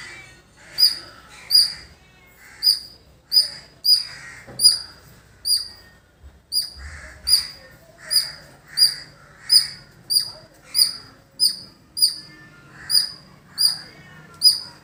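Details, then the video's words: Repeated piercing chirps from a squirrel in village surroundings, evenly spaced under a second apart over a long sequence, accompanied by crows cawing throughout. "Beautiful Squirrel Making Sound"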